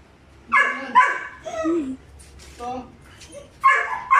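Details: Two five-month-old Belgian Malinois puppies, Juvs the brown one and Jeff the black one, give short high whining yips in separate bursts, with quiet gaps between them and a little background chatter.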